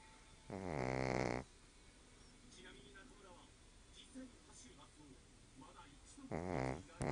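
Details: Sleeping Shih Tzu Monjiro, sprawled boldly, lets out two long rattling snores about five seconds apart, with a quiet room and faint small noises between them.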